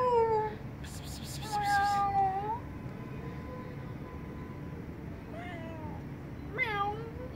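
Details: Timid kitten living on a vent hole repeats plaintive meows, one long and level and others short and bending upward, spaced a few seconds apart. A brief rustling noise comes near the start.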